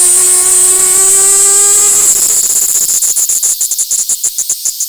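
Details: Cicada Platypleura kaempferi singing while held by hand, Tokyo, Japan, August 3, 2021: a loud high whine that breaks into rapid pulsing buzzes, about four per second, each slightly faltering toward the end.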